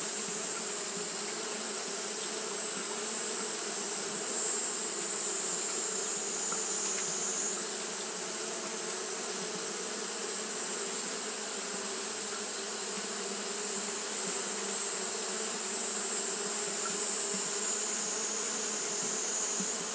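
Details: Persistent fanning by Japanese honey bees on a hot day: a thick, level droning buzz with layered harmonics continuing without pause, accompanied by a constant high shrill whine.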